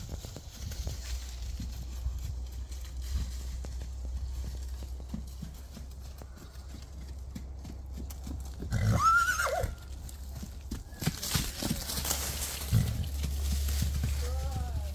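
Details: Registered Percheron filly born in 2023. A short harmonic whinny near the middle rises and then falls. A fainter cry follows near the end, over steady irregular hoof clops and a low rumbling background.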